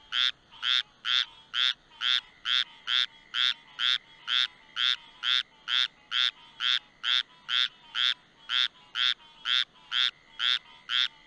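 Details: A squirrel treefrog, a very small treefrog that feeds on insects around porch lights, gives raspy, duck-like quacks repeated steadily about twice a second; named for a supposedly squirrel-like call, though it sounds like a duck.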